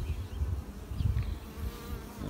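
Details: Honey bees at a backyard beehive in Alpine, California, where the queen is spotted: a dense, low droning hum that swells and fades unevenly across the colony.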